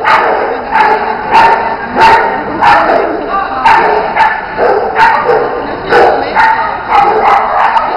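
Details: Bearded Collies Otto and Roope at jumping and agility practice. A long, unevenly spaced run of loud barks, roughly one every second or so, over persistent background hiss with a faint tonal hum.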